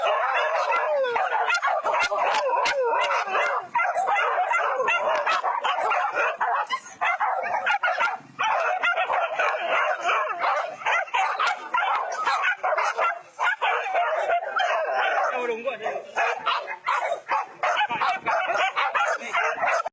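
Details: Trained hunting dogs of West Sumatra's Minang people chasing wild boar at rice fields in Indonesia: a dense, overlapping chorus of excited yelping and barking from several dogs, continuous for the whole stretch.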